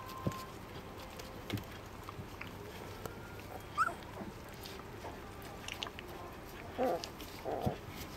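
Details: A three-week-old Border Collie puppy gives a few brief, thin squeaks and whimpers over a quiet background.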